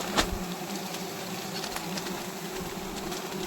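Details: Wild honey bees swarming during a wild honey harvest: a steady low droning hum with a higher overtone, a sharp click near the start and scattered rustling crackles throughout.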